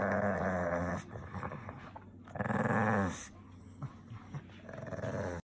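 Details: Pekingese dog growling when upset, two strong raspy growl bursts separated by a quieter pause with soft snuffles, in a small room.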